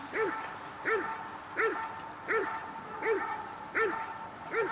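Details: During protection work at the NIK 2016 dog sport trial, the dog Cobra van de Amorhoeve gives a regular series of sharp barks, seven in under five seconds, evenly spaced at roughly 80 per minute, with a faint steady tone behind.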